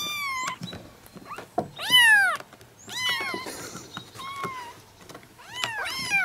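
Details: Soothing kitten mews meant to call a cat close: several short and longer arched cries, some overlapping, spaced irregularly with faint rustling and low background noise between them.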